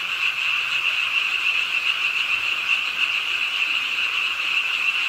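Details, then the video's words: On a rainy night beside a pond in Ingye Art Park, Suwon, many frogs croak together in an unbroken, fast-pulsing high chorus, blended with the soft wash of rainfall. "비오는 밤 개구리소리, Do you hear the frogs? 비오는 밤 공원 연못 추억의 개구리 소리, Frog Sounds, 빗소리와 함께 듣는 개구리 우는 소리"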